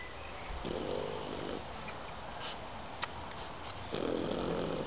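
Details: Snoring from an old dog, about 17 years of age, asleep in the sunshine: two rough, breathy snores roughly three seconds apart, with light chirping and a soft click between them.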